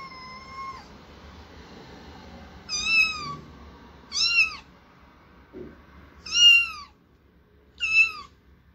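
A kitten gives high, thin meows, each a short rising-then-falling squeak, repeated every couple of seconds.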